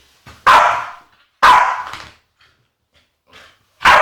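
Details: Agitated female Staffordshire Bull Terrier giving loud, harsh barks with breathy yips, three strong bursts about a second apart separated by quieter huffs.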